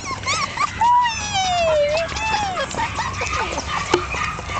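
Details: One-month-old Jack Russell Terrier puppies, born 27 October 2010, whimpering: a long, thin whine sliding downward in pitch, followed by shorter whines and small yips, with faint human voices and household noise behind.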